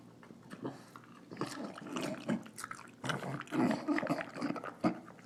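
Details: English Bulldog, a female, snuffling and snarling through her dinner. Soft, wet snorts build into louder, gravelly grunts near the end.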